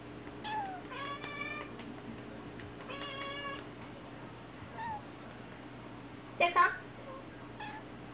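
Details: Fostered black kitten siblings indoors, peeking out from a sliding paper door, give several short, level, harmonic-rich meows in two clusters early on. A brief louder squeak follows later, over a faint steady indoor hum.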